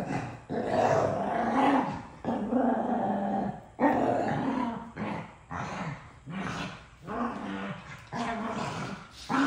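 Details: Two dogs arguing over who gets a toy, trading rough, throaty growls in long rumbling bouts broken by short pauses, with occasional sharper snarls rising in pitch.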